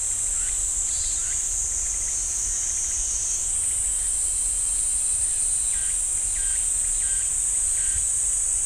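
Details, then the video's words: Pine forest at Ssanggyesa temple in Jirisan National Park, where cicadas keep up a loud continuous high buzz that steps up in pitch midway; softer repeated short chirps from other insects or birds come roughly twice a second. "지리산 쌍계사 소나무 숲 매미 소리"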